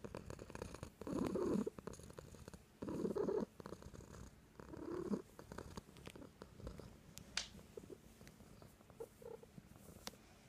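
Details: A pet cat purrs steadily. The rumble comes in three strong surges during the first half, then softer, patchier purring with a few faint clicks.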